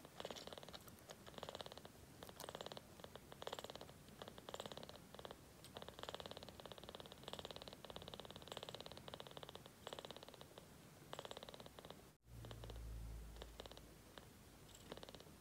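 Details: Young kitten purring as it feeds on formula milk, a steady, fine-grained rumbling purr pulsing in bursts for many seconds, with a brief low thump near the end.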